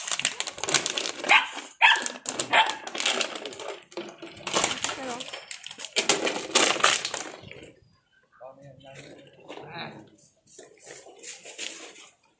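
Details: Belgian Malinois dogs at a kennel keeping a large group of Belgian shepherds, visitors choosing dogs: loud, rapid, overlapping barks fill the first seven seconds over people talking, then quieter voices with scattered short yelps.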